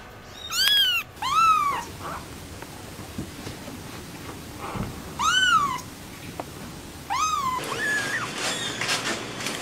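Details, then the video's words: Kittens mewing: a few clear, high, down-curving cries spaced one to three seconds apart, with quiet room noise between and a rougher, noisier cry at the end. "Kittens meow"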